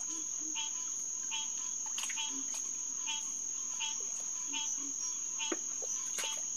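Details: Hyla cinerea, the green tree frog, calling at night on June 2, 2021, at SMNWR's Headquarters Pond. Distinct nasal quonk notes repeat roughly every three quarters of a second, set against a constant shrill insect buzz and soft low croaks.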